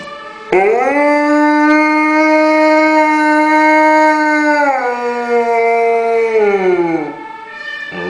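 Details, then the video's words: Afghan Hound Zephyr, Winterswijk, Netherlands, 17 May 2011, howling in response to a fire brigade siren; one long, even, harmonic-rich howl of about six seconds that steps down in pitch midway and fades at the close. "Our Afghan Hound Zephyr is howling when he hears a fire brigade car."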